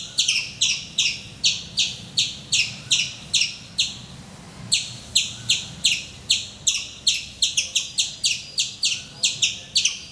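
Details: Squirrel on a mango tree in Calicut, Kerala, India, giving its morning calls: a long, steady series of shrill, clipped chirps, roughly three each second, briefly pausing once before resuming.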